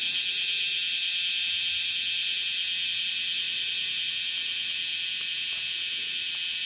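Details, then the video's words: Bear cicada (kumazemi, Cryptotympana facialis) calling as it walks across a window screen, one of five bouts on 31 July 2018, 10:03 in the morning; a steady, high, grating pulsed shrill, repeating rapidly and evenly. "網戸の上で歩きながら鳴いているクマゼミ --- Kumazemi [Cryptotympana facialis] shrilling with walking on screen window"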